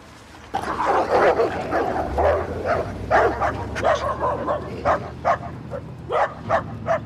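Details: Stray pitbull and rottweiler fight over a female, the rottweiler beating the pitbull to become dominant; dense harsh barks and yelps burst in rapid clusters, then thin into short separate yips roughly every half second.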